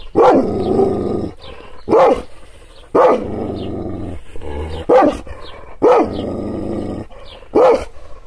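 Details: Angry Kangal shepherd dog, provoked by hand movements without being touched, barking loudly and repeatedly: seven deep barks at about one-second intervals, separated by throaty growling.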